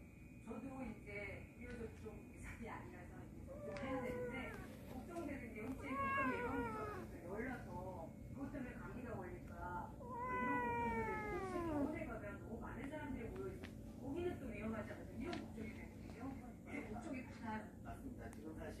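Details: Cats from a warehouse family, now inside the house, give several drawn-out, wavering meows. Some bend upward and then slide down. Human voices chatter alongside them throughout.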